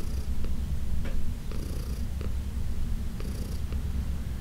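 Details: Heidi, a 14-year-old senior cat adopted from the Humane Society of New York City, purrs during a massage in June 2021: a continuous low rumbling drone with faint breathy hisses recurring every second or so indoors.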